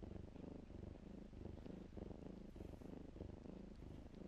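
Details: Kittens in blankets give a soft, steady purr, a low buzzing throb that beats quickly and evenly with no other sounds.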